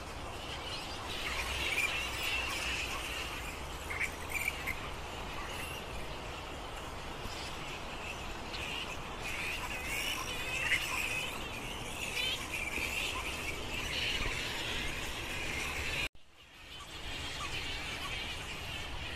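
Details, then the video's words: Dense squealing and chittering from a roosting flying fox colony in Lansvale, Sydney, many overlapping shrill calls in a constant chorus, a low background rumble, and a brief gap of near silence partway through. "Lansvale Flying Fox (Giant Fruit Bat) Colony"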